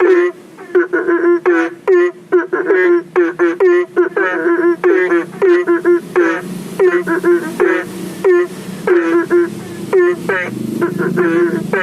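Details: Night chorus of belentung frogs calling for rain in a garden fish pond near a public road, phone-recorded: dense overlapping short rising bleats from many frogs, almost continuous, with a low hum of passing vehicles.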